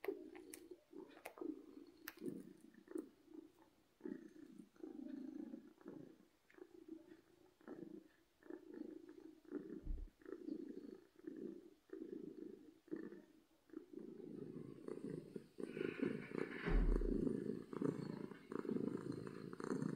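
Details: Domestic cat purring from happiness, a continuous low pulsing rumble rising and falling with each breath, growing louder and fuller near the end, with a few faint clicks and thumps close by.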